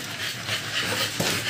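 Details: American Bully puppies two months old, after their second 5-in-1 vaccination: quick, steady, hissing pants run close together through the moment, with a faint room hum beneath.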